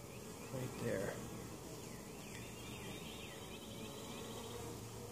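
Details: Honey bee colony at an open hive in Mt. Perry, Ohio, after winter, during varroa mite treatment: steady low hum of many bees, with a few higher buzzy sweeps of passing bees and a brief louder rustle near the start.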